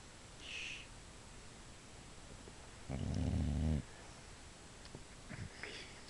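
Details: Female Boxer dozing indoors, a single short low snore near the middle, under a second, amid faint voices and small clicks; said to be half asleep.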